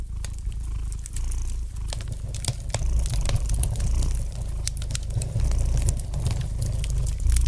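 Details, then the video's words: Low, even purring of a domestic cat by the fireplace, sustained throughout, with frequent light crackles and pops from the burning fire. "Relax to the gentle purring of the cat and the light crackling of the fire in the fireplace!"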